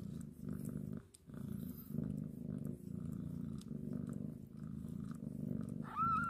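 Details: Continuous rumbling purr as a mother cat grooms her contented kitten, with a brief pause early on and one short, bright mew at the very end.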